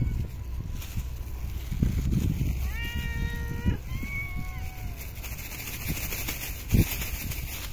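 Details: Park and street cats at feeding time: two fairly clear meows close together mid-clip, the first flat and sustained, the second shorter and gently falling, against constant low background rumble and faint outdoor noise.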